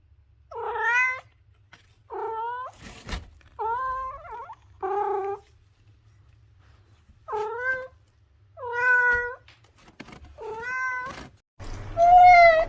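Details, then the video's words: Domestic cat meowing in a series of short harmonic calls, about seven separate meows over roughly twelve seconds, some dipping then rising, with a sharp knock near the three-second mark and a louder, higher final meow. "The Ultimate Cat Meowing Compilation - Cute and Funny Cat Sounds for Everyone!"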